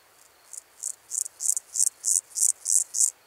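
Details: A Meadow Grasshopper (Pseudochorthippus parallelus) sings in Elsbethen, Austria, on 27 July 2019, giving a series of short, dry, raspy chirps, about three per second, slowly growing louder.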